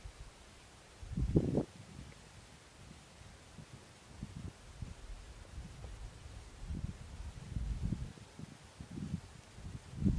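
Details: A wild boar (Sus scrofa) sleeping heavily in its shelter among wild cherry plants in the mountains of Kurdistan gives deep, low grunts and snoring breaths at irregular intervals.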